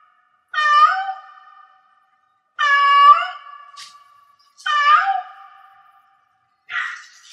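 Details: Domestic cat in heat meowing four times, roughly every two seconds, each call a bright harmonic wail that starts loud and trails off into a long fading tail, with a steady faint tone lingering between calls and silence in the gaps.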